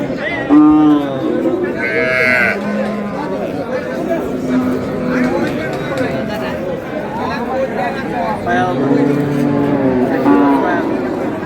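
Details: Cows with calves at the Ambari cattle market, Dinajpur, Bangladesh, on market day: several short lowing moos spread through the recording, mixed with men's speech and market chatter.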